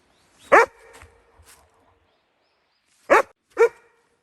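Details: Dobermann barking on a snowy mountain road walk in Hokkaido, Japan, at 0°C, reacting strongly to a wild deer spotted on 2 December 2020 at sunset: one sharp bark, then two quick barks about half a second apart, with a woman's voice nearby.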